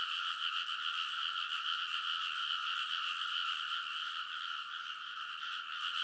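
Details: Dense nighttime frog chorus from rice paddy ridges in Kōnosu, Saitama, Japan, in early summer, TASCAM Portacapture X8; fast croaks, roughly three or four each second, merge into an unbroken rattling drone.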